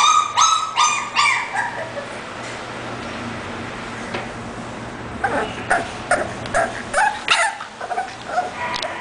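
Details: An English bulldog; high whining yips open the clip in quick succession, then fade under hissy background noise before irregular squeaky yelps and clicks return near the end.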